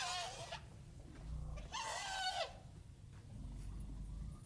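An elephant gives two brassy, harsh trumpet blasts, the second longer and wavering, over a low background rumble.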